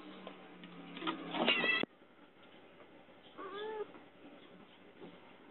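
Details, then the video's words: Domestic cat locked in and asking for help: a loud harmonic meow around one and a half seconds cut off abruptly, then a quieter, shorter falling meow after a pause, over steady low background hiss. "Kucing Dikurung Minta Pertolongan"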